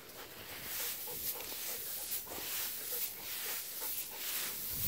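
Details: Golden retriever, one of two named Kohaku and Ibuki, panting during an October 8 walk in a harvested rice field where green shoots regrow from the stubble; breathy, airy bursts repeat roughly once a second over steady outdoor background.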